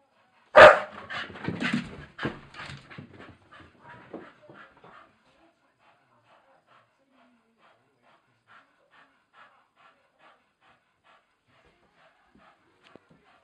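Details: During play on the stairs, a Staffordshire bull terrier gives one sharp bark, then a quick run of rough, huffing sounds that fade within about four seconds into near silence.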